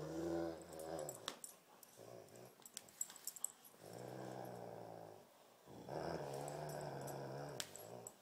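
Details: During a tug of war, Great Pyrenees Thumper and Tibetan Mastiff Baby Huey trade deep, throaty growls in several bouts of about two seconds, separated by quieter gaps filled with scuffing and tapping noises.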